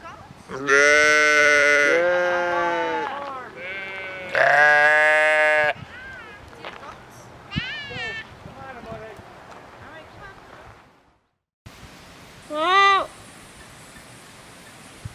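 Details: Sheep giving loud, drawn-out, quavering bleats, two long calls each lasting over a second, followed by quieter talking and another short bleat near the end.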